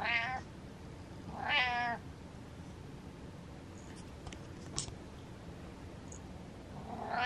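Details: Domestic cat meowing loudly indoors: two strong, rising-then-falling harmonic meows about a second and a half apart, a third starting at the end, over a steady low hum with faint clicks.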